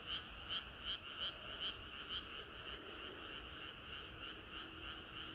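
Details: Frog chorus on a summer night: a few loud rhythmic croaks in the first two seconds, then a steady, softer mass of overlapping calls.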